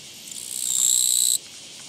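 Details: Japanese katydid found along a walking path on 24 August 2017; a single buzzy, high-pitched chirring burst of about one second that swells in loudness and then stops abruptly, over a quiet background.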